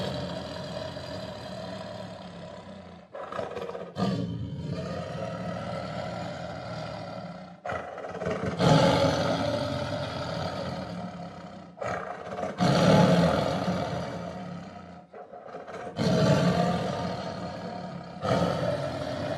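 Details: Tiger roaring repeatedly over about twenty seconds in a series of deep, coarse bursts every few seconds, some swelling louder and longer, with short breathy gaps between them.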